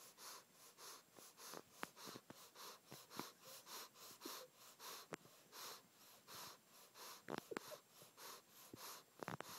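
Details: A Boston terrier huffs in quick, wheezy breaths, each puff rasping in and out through his nostrils; he breathes loudly.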